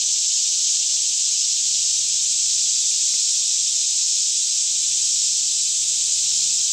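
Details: Daytime chorus of cicadas singing all around in a lush green Kentucky forest near Franklin, about 10am with fairly still air, recorded with a Canon 5D Mk2; a dense, steady high-pitched hiss-like buzz fills the whole clip without pause.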